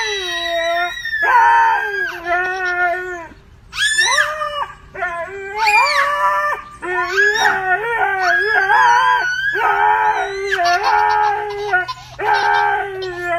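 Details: Pet dog making noise while playing with a baby girl: long, wavering, tonal howls and whines in several bursts, some sliding upward, overlapped by higher squealing cries, with short pauses between phrases.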